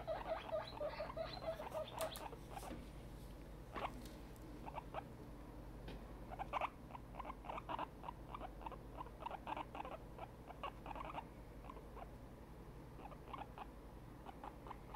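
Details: Excited guinea pig Tiny, a grown female, opens with a quick string of squeaks, then mostly clicks, rustles and scattered short squeaky bursts follow.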